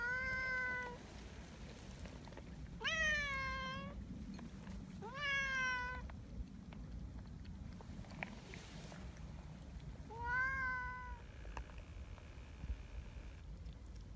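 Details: Sociable community cats leading the way along a mountain path to their gathering place on a cold morning; four clear, harmonic meows come a few seconds apart, each rising sharply then falling, with faint rustling between.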